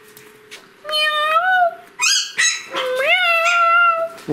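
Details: Pomeranian puppy, 65 days old, indoors, singing: drawn-out tonal howls with rich harmonics, rising then holding steady, in several phrases with short gaps; a brief higher yelp between them.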